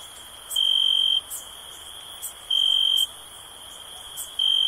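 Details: Cricket chirping for stress relief: loud shrill trills lasting over half a second, three in under five seconds, separated by quieter gaps filled with a steady background insect hum.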